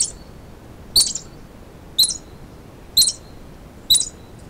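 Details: A terrified squirrel hiding in rocky boulders gives sharp, high chipping warning calls, one about every second, against a quiet background, as a gray fox (Urocyon cinereoargenteus) hunting it fails to dislodge it.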